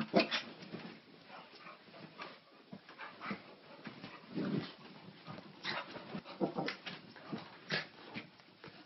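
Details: Little white male Maltese romping with a female Bulldog that lets him bite, chew and jump all over her; frequent brief whines and yips with rustling scuffles, loudest bursts at the start and at intervals throughout.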